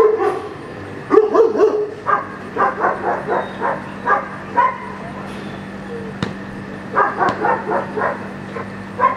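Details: Young German Shepherd Echo barks during Schutzhund 1 blind practice: clear, evenly spaced barks in quick bursts of four to six, separated by short pauses, with a faint low background hum.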